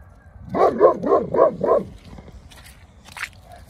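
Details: Neapolitan Mastiff Sibilla II, European Champion 2019, gives a quick burst of five resonant, rhythmic barks in just over a second, then falls quiet amid faint clicks and shuffling.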